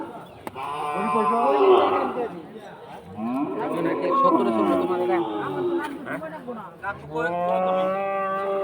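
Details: Large cattle at the Batajor cattle market, Bhaluka, Mymensingh, Bangladesh: several long, arching, harmonic moos overlap one another, with background music and people talking.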